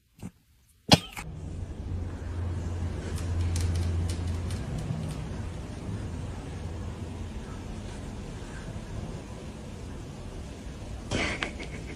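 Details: After a sharp thump, a car's low engine rumble and road noise continue with scattered clicks and a brief whirring near the end, and no animal voice.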